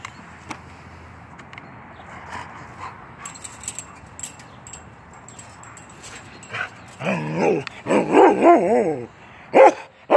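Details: Norwegian Elkhound, a 10-month-old male named Keweenaw, playing through a fence: quiet rustling for about seven seconds, then a burst of loud, harmonic barks and yips in quick succession, with one more bark near the end.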